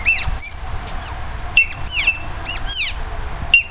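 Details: Asian small-clawed otters in a German zoo, waiting to be fed, give bursts of shrill, downward-sweeping squeaky chirps in clusters separated by short pauses, over faint background rumble.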